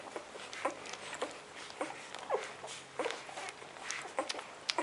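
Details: Nursing puppies just four days old, heard as quiet irregular suckling smacks and tiny squeaky clicks spread through the whole stretch in a small indoor room.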